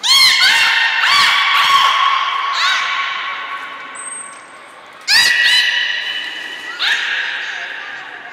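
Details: At Port of Nagoya Public Aquarium on 1 November 2020, belugas Hodoi, Taanya and Mirai during training give rapid harmonic squeals with bright chirps, fade into a short lull, then resume with two strong squealing bursts; a faint thin high tone appears midway.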